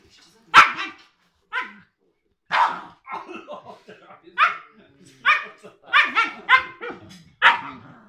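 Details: Three-month-old Siberian Husky puppy and eight-year-old Cairn Terrier playing indoors. Short, high, yappy barks come singly at first, then in quicker bursts of two or three, with soft grumbles and whines between them.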